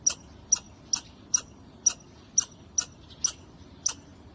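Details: Squirrel perched on a wall calling insistently: nine crisp, high-pitched chip notes spaced roughly half a second apart, steady and emphatic, with little else audible.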